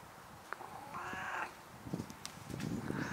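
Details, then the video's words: Nabi, a 10-year-old stray cat that followed a grandmother after she moved away, exchanges sounds with her: one drawn-out, slightly arching meow of about half a second, followed by a woman's voice and faint clatter. "10살 길고양이와 대화하는 할머니를 보셨나요? Did you see the grandmother who talks to the 10-year-old straycat?"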